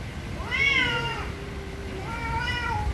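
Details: Two loud meows from very angry cats: a sharp rising-then-falling wail, then after a pause a second flatter, longer meow trailing off.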